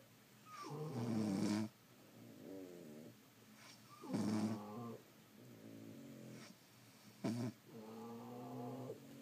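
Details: Several French Bulldogs sleeping indoors, snoring about twenty times a minute: rough rattling inhales followed by drawn-out nasal whistles and buzzy tones, with a brief sharp snort near the end.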